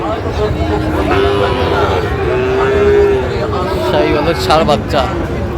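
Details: Cattle lowing at Raniganj cattle market in Barishal, Bangladesh, on 28 November 2024, where a Sahiwal breed bull is offered for sale. One drawn-out, steady moo of about a second sounds over constant crowd chatter and market hubbub.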